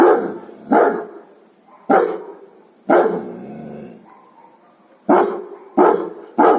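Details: Barking guard dogs give heavy, harsh barks at irregular intervals, about eighty-seven a minute, each bark ringing out and fading, with a thin whine audible in the gaps.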